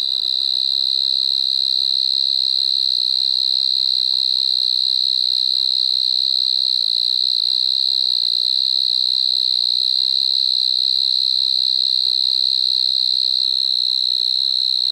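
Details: Striped Marsh-cricket (Pteronemobius lineolatus) singing at Maggia, Switzerland, on 1 September 2023; a continuous high, steady trill held without break throughout, with a fainter harmonic band above.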